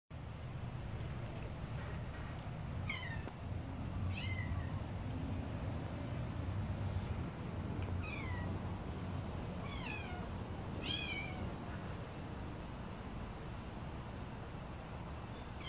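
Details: A tiny kitten, smaller than a calico kitten, gives thin, high falling mews in short repeated bursts over steady low rumbling background noise.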